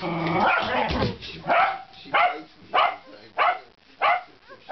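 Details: Kaley, a female Corgi who likes to jump onto a man's lap, barks in a steady series: after a muddled, noisy opening come five sharp, loud barks, one roughly every two-thirds of a second, with quiet gaps between them.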